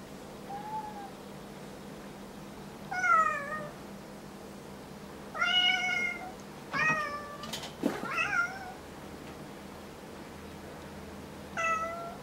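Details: Domestic cat Kuri, indoors, complaining after another cat, Kinako, stares at her without blinking; several harmonic meows, some short and rising, others drawn out, spaced a few seconds apart, with a few clicks and knocks between.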